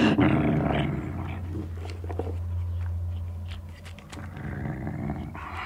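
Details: Indoor Sealyham Terrier with a bone gives a long, steady, deep growl held for about three seconds, with scattered clicks and gnawing sounds around it.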